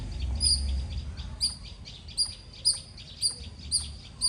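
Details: Loud squirrel chirping: short, piercing high notes repeated roughly every half second, with a low rumble of background noise underneath.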